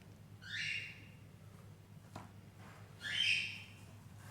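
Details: Persian kitten of doll-face type in Gujranwala giving two high, thin mews, each a rising-then-falling wail under a second long, separated by about two seconds over a low steady hum.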